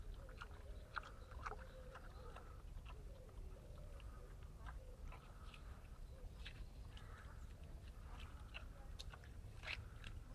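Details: Several wild boars eating, with constant crunching and smacking clicks of chewing and short whining squeals woven through, all over a low continuous rumble.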